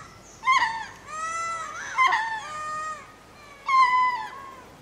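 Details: Ring-tailed lemur spacing calls at Berenty Reserve, Madagascar, made while going to roost: three drawn-out, plaintive mewing wails, each starting sharply and then holding a steady, slightly falling tone, with a quiet background.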